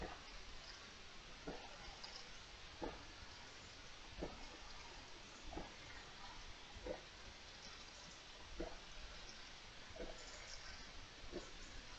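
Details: Steady hiss with faint, evenly spaced taps or drips, and no animal voice.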